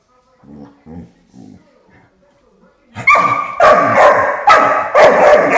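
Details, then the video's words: Five-month-old puppy frustrated by the sound of a door stopper, soft low grumbles at first, then loud high barks repeating about twice a second, followed by a person's voice. "annoyed by the door stopper"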